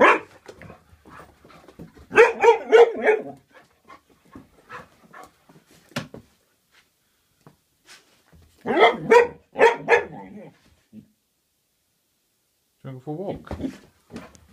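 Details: A female Vizsla gives bursts of sharp, excited barks and whines in short clusters while waiting to be walked, with a person speaking and telling her to sit.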